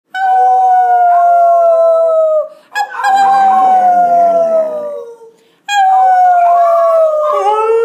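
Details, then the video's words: Shiloh, a five-month-old male Golden Retriever puppy, learning to howl and howling along with his owners: three long, drawn-out tonal howls, steady and then sliding lower, the middle one rougher with overlapping voices. "Golden Retriever Puppy Howls"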